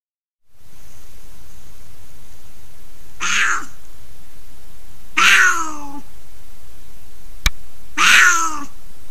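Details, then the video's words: Female mountain lion caterwauling, recorded January 2020: three loud, drawn-out harmonic wails, each about three-quarters of a second long and spaced two to three seconds apart, over a steady low background hiss, with a single sharp click between the second and third wail. "Female mountain lion caterwauling"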